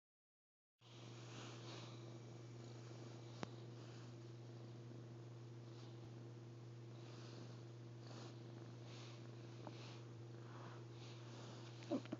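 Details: Momo, a six-month-old female half Persian, half Munchkin kitten indoors, purring in a low steady hum throughout, with a faint sharp click partway and quiet rustling near the end.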